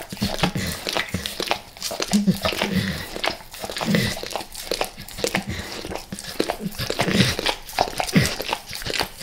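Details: Max the dog licking peanut butter squares and peanut butter oil indoors; rhythmic wet lapping and smacking, about two licks a second with brief pauses, plus low mouth squelches and faint crinkling.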